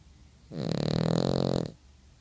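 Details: Dog snoring in its sleep inside a room, one sustained rasping breath lasting just over a second, rough and buzzy with a strong low rumble and a hissy upper edge.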